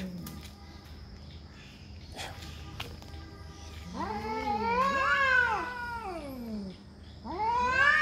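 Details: Cats fighting to defend territory: after a quiet start with faint clicks, a wavering high caterwaul rises and sinks in bends, pauses, then starts climbing again.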